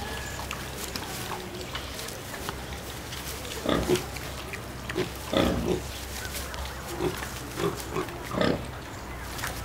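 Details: Mangalica piglets, four young domestic pigs kept at a farmyard zoo enclosure in Ostrava, give brief rough grunts in small groups every second or so, with a constant low rumble behind.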